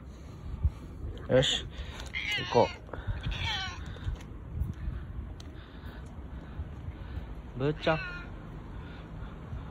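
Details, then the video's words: Husky-voiced meows from Bū-chan, a boss domestic cat seeking far more affection than usual because no other cats are around; three meows close together early on, then a single one later, with people talking softly in between. "アイナジエンドのようなハスキーボイスで いつもの5倍甘えてくる ボス猫 ぶーちゃん"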